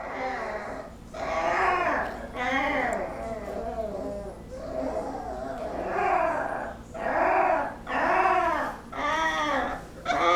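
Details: Several 20-day-old Basset Hound puppies making funny noises while napping: a run of arched, whiny whimpers and moans, each about a second long, coming roughly once a second with short gaps, over a faint steady hum.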